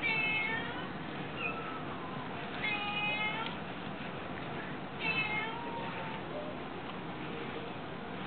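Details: Several cats at a cat shelter, fed minced meat, give overlapping mewing calls: high, harmonic meows, some rising then falling, recurring throughout against a steady background hiss.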